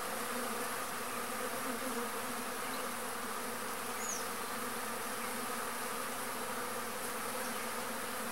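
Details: Trigona spinipes, the arapuá stingless bee, at a pumpkin flower; an unbroken, uniform buzzing drone, with a single faint high chirp around the middle.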